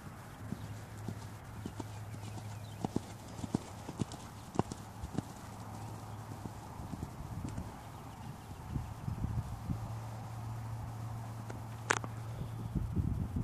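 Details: Hooves of a Dutch Warmblood horse for sale thump softly and irregularly on the ground, with a constant low drone behind and a sharp, bright crack near the end.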